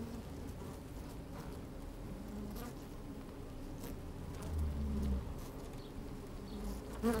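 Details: Inside an opened beehive on a sunny, slightly windy day, honey bees move about the comb: dense low droning hum, soft rustling, a swelling buzz around the fifth second and a sharp close buzz at the end.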